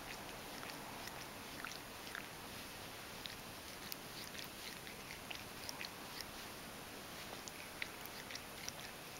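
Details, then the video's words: Ragdoll cat Mojio cleans its coat inside a warm kotatsu. Soft, rapid lapping clicks pepper a continuous hissing background. "こたつでグルーミング【grooming cat (ragdoll)】"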